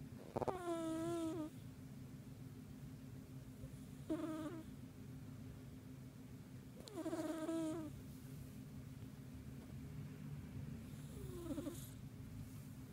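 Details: Pet cat snoring while deeply asleep at home, nudged lightly as it sleeps: four squeaky, harmonic wheezing breaths spaced about three to four seconds apart over a steady low rumble.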